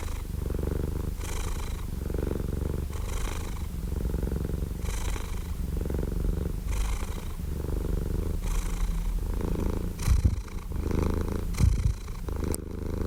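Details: Relaxed domestic cat purring at close range: even low rumble pulsing with breath about every second and a half, gentle airy exhales, a couple of brief soft thumps near the end.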